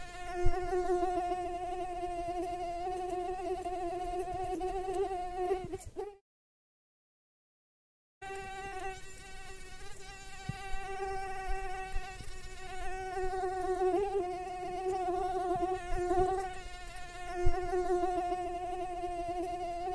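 A mosquito's steady, high whining buzz with rich harmonics, briefly cut off midway.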